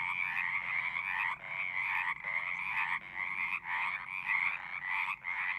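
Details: Many frogs singing together: overlapping pulsed trills that swell and break off in short gaps roughly every second, over a soft low background rumble.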